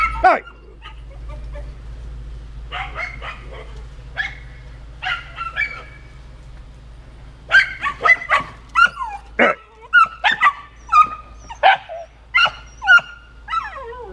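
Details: Small miniature Labradors acting as guard dogs, barking at something: sparse yelping barks at first, then a run of loud, sharp barks about every half second, with a low steady hum behind.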